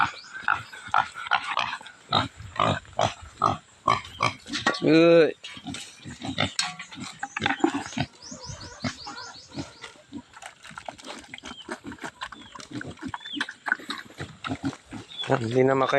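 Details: Native pigs at feeding time, eager and unable to wait, give loud harmonic squeals mid-way and again at the end, between short grunting noises, with a man talking throughout and bits of music.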